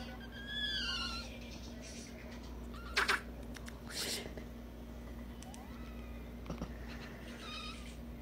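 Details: Kitten meowing: a rising and falling mewing call near the start, a loud sharp burst around three seconds, then softer short mews toward the end over a steady low hum.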